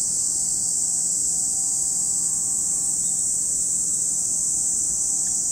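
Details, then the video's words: Cicadas singing at Lake Kamo in Sado City, Niigata, Japan, an even, high, sizzling drone running without breaks, faint soft tones below. "Lake Kamo in Sado City, Niigata Prefecture, Japan, where you can hear the voice of cicadas."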